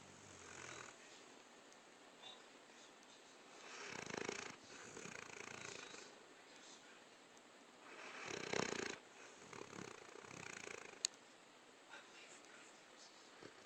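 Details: Luke, a pet dog who likes to think he owns the bed, snoring while asleep on it indoors: soft, breathy, rasping snores that swell into louder rough bursts around four and eight and a half seconds, then fade back to quiet breathing.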